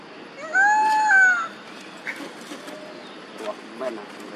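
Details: Duchess and Queen, two monkey mothers, cry out for baby Quinton. A single loud tonal call swells and bends slightly over about a second, followed by soft scattered clicks and rustles.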